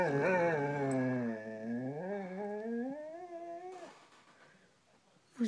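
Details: A Siberian Husky at home gives one long, wavering, howl-like vocalization, dipping in pitch then sliding upward and fading out, an everyday noise for the breed.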